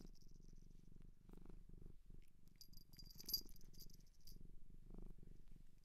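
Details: A Japanese shelter cat purring softly in an ASMR recording, a low throbbing purr that swells and fades in breathy cycles, with brief high clicks and a small rattle near the middle.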